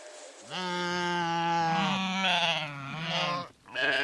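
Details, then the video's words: A sheep gives one long, low, quavering baa lasting about three seconds that wavers slightly before dropping off, followed by the start of another bleat. "Sheep Sound, Sheep baaing, the sound of sheep"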